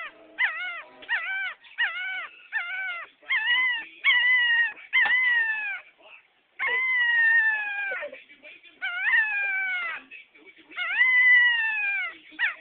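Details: A puppy howling in a run of short, wavering, harmonic-rich cries, each slightly falling and separated by brief pauses, some longer drawn-out howls near the middle, with no other clear sounds.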